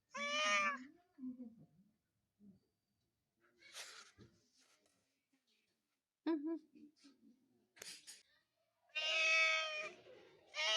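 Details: Domestic cat giving two loud, harmonic meows, one at the start and one near the end, with faint clicks, scuffles and soft low murmurs in between.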